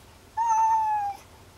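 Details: Kuri, a sick house cat lying under a desk and not eating, lets out a single long, even-pitched meow that sinks gently at its end, about three-quarters of a second long, in a quiet room.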